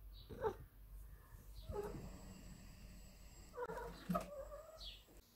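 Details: A big male Ragdoll cat demanding his daily cuddles gives short, soft meows in separate bursts.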